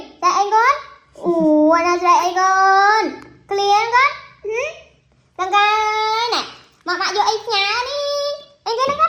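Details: Crying baby monkey gives a run of tonal, whining wails, some held and some short, with brief pauses between cries and quiet background sounds in a small room.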